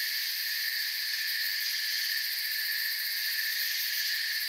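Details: Steady high trilling of many crickets under a night forest canopy, a continuous layered buzz without breaks, slightly softer overall, nothing else clearly audible.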